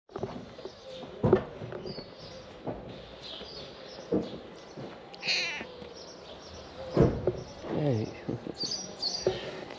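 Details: Stray cats emerge from green grass and head toward their feeder for food, giving a few short meows with curved harmonic tones between bursts of a person's friendly talk and outdoor background noise.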